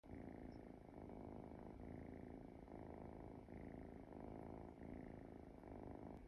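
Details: Sleeping Munchkin kitten snoring softly indoors, a faint steady rasping purr-like drone with gentle rhythmic swells of breath about every second, in a quiet room.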